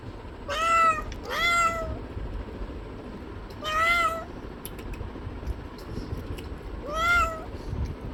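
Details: Four meows from a cat, the first two close together, then spaced gaps of a few seconds, over a steady low-frequency background noise.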